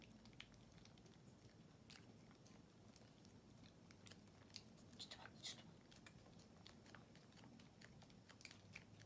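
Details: Non, a female tortoiseshell kitten and former stray born around late April 2020, eats a churu treat indoors, impatient at the slow squeezing and pulling the tube out herself; soft irregular wet clicks and smacks of licking and chewing in a quiet small room.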